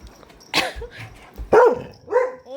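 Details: A playful Labrador Retriever at home in India gives two or three short, loud barks about half a second apart, with faint indoor background sounds.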